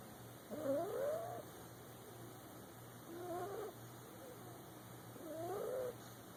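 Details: Boxer puppy dozing in a lap snores with three nasal whistles, wavy and squeaky, spaced about two seconds apart, quiet hum underneath.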